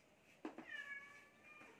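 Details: Domestic cat at feeding time giving a single clear meow of about one second, a tonal harmonic cry that lifts briefly and then holds level before fading, with a short soft sound just before it and quiet room hiss behind.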